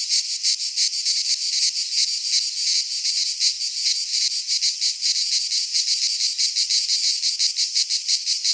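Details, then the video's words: Midsummer chorus of cicadas in a pine forest in Greece: continuous high, hissing buzz broken into quick, regular throbs about ten times a second, unbroken from start to end. "Cicadas singing in midsummer - Nature sounds from the Greek fauna - Sounds of cicadas"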